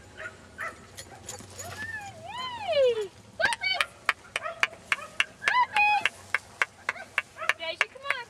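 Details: Admiration Standard Poodle puppies at play in a field on a fine day in March 2009: a long whine sliding downward, then a rapid run of short, sharp yips and squeaks coming roughly twice a second.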